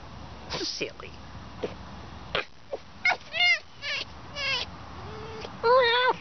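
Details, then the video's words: Pet fox at play giving a series of short, wobbling, high whines and yips, spaced irregularly, closing with a longer quavering cry; a person talks between calls. "Домашняя лиса играет"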